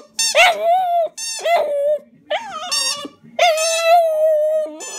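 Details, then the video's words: Border Terrier singing: long, steady, harmonic howls, each held for about a second and a half with wavering, sliding ends, in four phrases separated by short silent gaps. "the Border Terrier sings"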